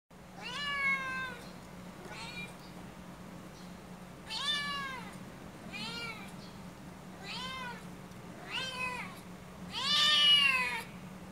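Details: Three-month-old domestic shorthair kittens up for adoption, found near shops, the male resembling a blue-eyed Siamese; six drawn-out, arching meows about every one and a half to two seconds, the last loudest, over a steady low indoor hum.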